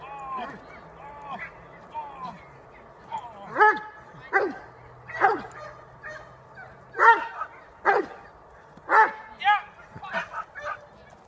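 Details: Almost five-year-old Dobermann barking in bite work, October 2015; a few softer yips open, then loud, harmonic barks come in quick bursts about once a second, with a human voice and a low hum in the background.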